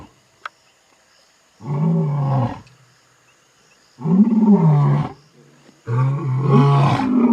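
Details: At night, one of two male Vuyela lions in Timbavati, heading for water after a giraffe kill, gives three deep, throaty roars a couple of seconds apart, possibly a long-range contact with distant lionesses.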